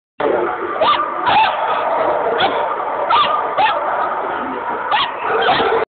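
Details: Old English Sheepdog at the FCI Tokyo International Dog Show, 19 December 2010; short yelping barks and whines recur roughly every half second over a dense, echoing indoor din.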